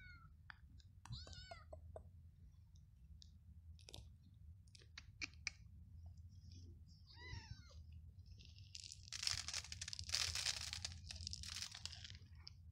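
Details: Stray kittens living on the street, fed treats on a cold day: short high wavering meows, two clearer mews near one and seven seconds, with chewing and rustling, then a loud burst of scratchy noise.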